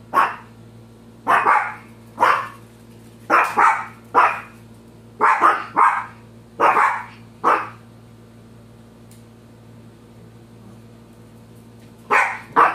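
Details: Shih Tzu. A small Shih Tzu gives a run of sharp, yappy barks, several doubled in quick succession. After a few seconds of near quiet, two more barks close the sequence.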